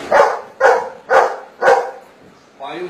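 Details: A Golden Retriever performs a counting trick, replying to a spoken maths problem with four strong, evenly spaced barks roughly every half second. A human voice begins right after the last bark.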